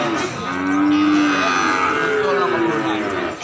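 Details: Young calf calling while a nose rope is fitted: a sustained, strained moo held for about two seconds at a fairly high pitch, fading at the end, over a low steady background.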